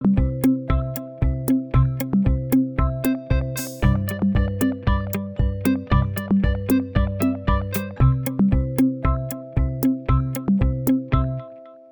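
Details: Gentle electric-piano music with a steady repeating bass pattern plays throughout, with no animal sound.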